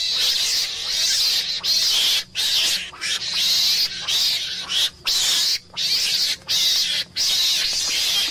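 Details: Harsh, breathy screams from a meerkat, a type of mongoose, come in drawn-out bursts of about a second with brief pauses between them, over a faint low hum.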